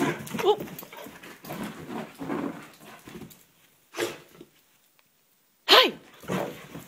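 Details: Male vizsla, still excited after coming home from an 8 km run, whining and yelping in bursts with short silent gaps, ending in a sharp high-pitched yelp; a person speaks faintly between sounds.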